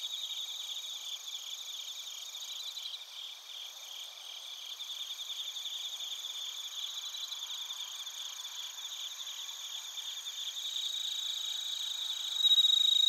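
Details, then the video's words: Bell crickets and other crickets singing in Narita, Chiba, Japan, recorded on a TASCAM Portacapture X8: a dense, continuous high chirping chorus with quick rhythmic pulses, rising in loudness near the end as a closer singer joins with a pure, ringing note. "スズムシとコオロギの鳴き声 - Chirping of crickets"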